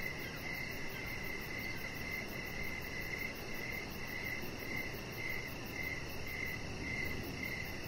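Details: Crickets chirping in the evening near a deck: steady high, thin chirps pulsing about twice a second over a soft broadband outdoor hiss, with a faint fast ticking even higher.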